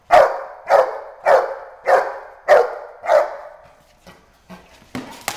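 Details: Agitated female Boerboel in Schutzhund training, building up to the escape bite: six rough, powerful barks at an even pace, then quieter thumps and clatter as the barking stops.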